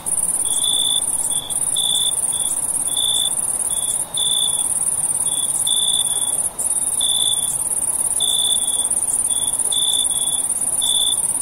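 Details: Crickets chirping at night, a constant high-pitched ringing trill overlaid with lower short chirps that come in uneven groups, roughly one burst each second, and no other sounds.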